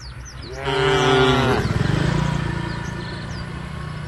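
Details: A tame cow among a herd walking to a field near the forest: a loud, rich moo of about a second gives way to a rapid, low, pulsing grunt that trails off, with faint birdsong behind.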